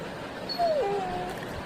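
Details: A pet Labrador Retriever in Arakkonam, India, giving a thin, high whine that slides downward and tails off, between a person's soft Tamil speech and faint music.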